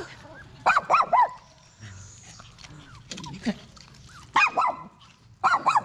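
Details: Poodle in labour, delivering seven same-colored puppies: clusters of two or three rising-falling whimpers, loud and tonal, separated by pauses with low background murmur.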